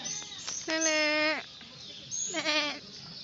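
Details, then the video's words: Pesky goat giving two loud, wavering bleats, the first long and sliding slightly downward at the end, the second shorter after a pause, with a faint bleat at the start and a steady high hiss behind. "ang kambing na makulit"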